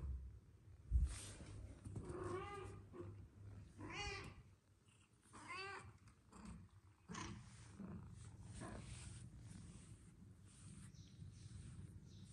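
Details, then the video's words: Aggressive kittens fighting with each other indoors: short wavering, harmonic yowls and growls rise and fall in about three bursts, mixed with scuffling thumps and a steady low hum. "Aggressive kittens Fighting with Each other"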